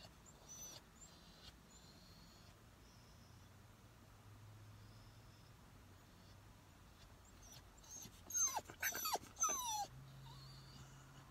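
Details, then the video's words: Dog whining in a parked car during training, waiting to be let out; mostly quiet car interior with a burst of high, thin whimpers and squeaks near the end, followed by a low hum. "Training your dog to stop whining in the car"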